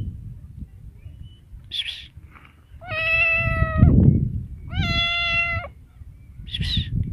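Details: Two level, sustained meows from a cat, each about a second long and evenly pitched, separated by short gaps, with a few soft hissy breathy bursts and low background rumble.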